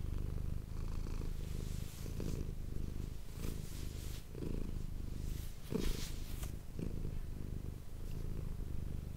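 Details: Low, throbbing purr of Manis, a domestic cat, captured up close for ASMR; the rumble swells and fades with each breath, with a few soft rustling and handling noises midway.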